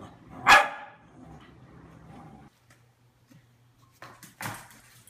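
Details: Corgi indoors, giving two sharp, loud barks about four seconds apart. The first is the strongest, with quiet room noise between them and a person's voice nearby urging the dog to come for a walk.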